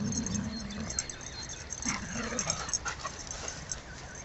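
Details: Two dogs playing together on 22 March 2012 at Beckenham Place Park: Amir, a six-month-old saluki puppy, and Sasha, a malamute. A low growly rumble opens, then thin rising and falling whimpers and short yips scatter over faint outdoor background noise.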